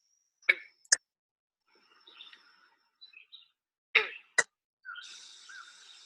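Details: A green frog, Ohio's most widely distributed frog (breeding season April to August), gives sharp, twanging gunk notes like a plucked loose banjo string, in spaced pairs.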